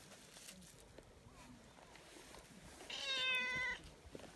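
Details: Tortoiseshell community cat, friendly and affectionate, meowing earnestly outdoors; a single drawn-out, clear harmonic meow near the end follows quiet rustling and faint background noise.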